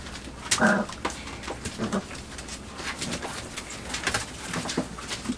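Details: Five-week-old Labrador Retriever puppies in their night pen, exploring, chewing and claiming a cardboard box while they romp and eat. A short squealing whine rises early, then scuffling, rustling and chewing fill the rest.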